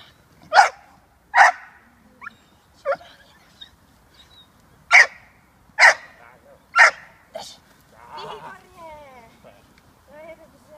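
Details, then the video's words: American Staffordshire Terrier puppy, a six-month-old female in protection training, barks sharply several times at irregular intervals, and a person's voice follows near the end. "American staffordshire terrier - puppy protection work"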